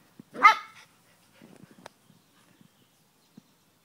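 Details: Salt-and-pepper Miniature Schnauzer, 5½ years old, playing with a 12-week-old chocolate brown puppy that sneaks up and pounces: a single loud, ringing bark, then quiet scuffles and taps on the floor.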